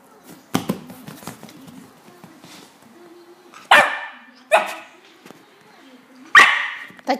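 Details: West Highland White Terrier barking: after a few soft snuffly sounds, four sharp, loud barks come in the second half, spaced about a second apart, each a short harsh burst, in a quiet indoor setting.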